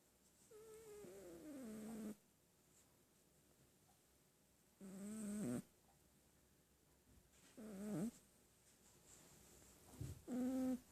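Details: Sleeping cat snoring indoors, each breath giving a droning, harmonic, slightly wavering tone lasting about a second, with quiet gaps of two to three seconds between snores.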